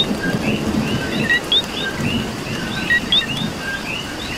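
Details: Puerto Rican coquis during rain: several frogs give clear, bright two-part 'co-qui' chirps, a short low note followed by a rising whistle, repeated close together, with steady rain noise and a low rumble in the background.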